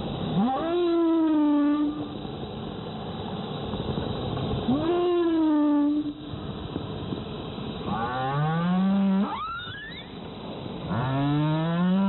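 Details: A humpback whale off Zamami Island, Okinawa, in the January–April whale season, gives rich, harmonic moans that swoop upward, then slide down, repeated every few seconds.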